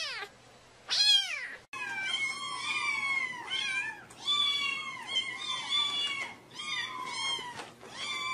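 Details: Several kittens meowing continuously, overlapping high mews with rich harmonics, many falling and wavering, in a busy chorus throughout.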